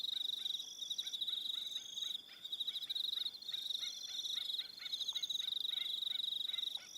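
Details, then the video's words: New Zealand evening crickets on Aroha Island: a continuous shrill pulsed chorus, joined by a lower, quick repeated chirp sounding about three times a second through most of the stretch. "1 Hour Relaxing Evening Sound of Crickets"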